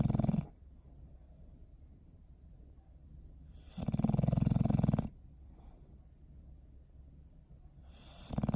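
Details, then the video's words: Bowser the dog asleep, December 21, 2019, snoring in a slow cycle: low rattling snores roughly every four seconds, each about a second long with a breathy hiss, separated by near-silent breathing. "Sleepy Snoring Face"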